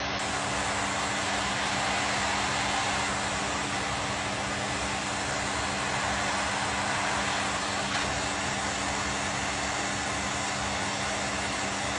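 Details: Loud, constant broadband roar with steady low droning tones, like a running vehicle, and no animal sound.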